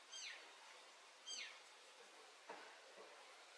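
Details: Pallas's cat named Eva feeding her kittens, 13 June 2023. Two high, thin chirps slide steeply downward about a second apart, followed by a couple of soft low thumps against a quiet hiss.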